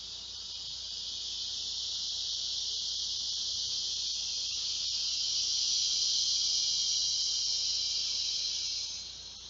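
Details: Loud, steady, high-pitched hissing drone of large male cicadas calling for females to mate around midday on a hot summer day, 2 August 2016. The buzz swells slightly louder and then eases near the end.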